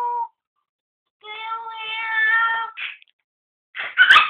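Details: An angry Chihuahua that believes a cat is nearby gives a long, steady, tonal whine of about a second and a half, then a short yip and two quick, sharp barks.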